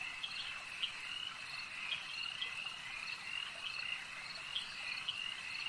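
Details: Many frogs at a lake croak together in a high, buzzing chorus, with sharp chirps from nearer callers rising above the steady background trill roughly every half second.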